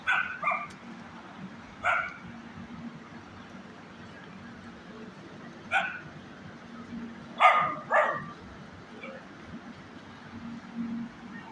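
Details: Small dog or puppy giving short sharp barks in scattered bursts, single and doubled, with pauses of one to two seconds between them, over a low steady hum.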